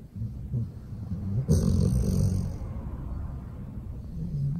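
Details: Golden retriever sleeping in its owner's arms and snoring: a low, rumbling, raspy drone with quick, uneven pulsing, rising briefly in loudness midway, with faint background music.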